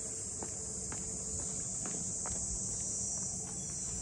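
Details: Cicadas in the port house townscape of Ine no Funaya, north of Kyoto: a steady, high, hissing drone that never breaks, with soft footsteps tapping underneath as someone walks along.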